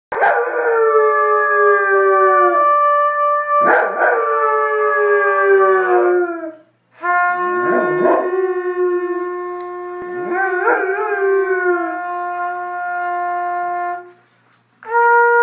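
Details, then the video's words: A Goldendoodle howls in long, sliding tones alongside sustained trumpet notes, as it does whenever the trumpet is played; the owner wonders whether it is harmony or agitation. "Dog howls along with trumpet player"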